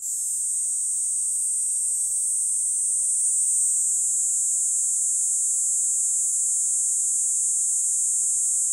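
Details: A Kaempfer cicada on a promenade along a commuting route, as summer approaches, sings a steady, high-pitched shrill buzz that runs on without a break.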